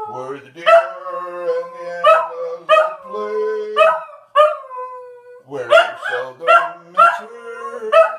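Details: Singing Scottish Terrier, a little pet dog called Oliver, howls in long wavering tones broken into repeated rising yowls, while a person's voice hums and sings along low beneath the dog's notes.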